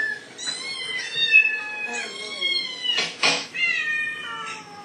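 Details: Male house cat getting worked up in response to recorded meowing being played to him; a run of long, drawn-out, wavering meows, some rising then falling, overlapping with bursts of human voices.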